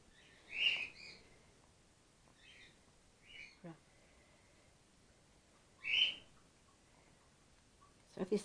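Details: Gwickle, a grey-headed flying-fox pup in care on day two and being bottle fed while her mother recovers from concussion. Two bright, high squeaks are far apart, with fainter chirps and a few soft knocks in a quiet room.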